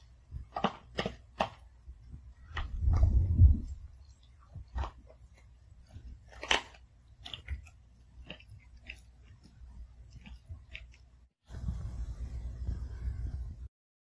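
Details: Sugar, a Pomeranian, eats her food one piece at a time, chewing each bite thoroughly in a quiet, peaceful home. Crisp, irregular crunches dominate, with a denser muffled crunching burst near three seconds and a low rumbling stretch near the end.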